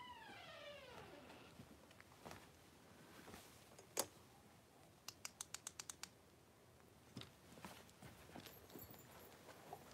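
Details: Five three-week-old blenheim Cavalier King Charles Spaniel puppies wrestling and playing in an indoor home puppy pen; a high whine slides downward with layered overtones in the first second, then scattered clicks, taps and a burst of rapid ticking.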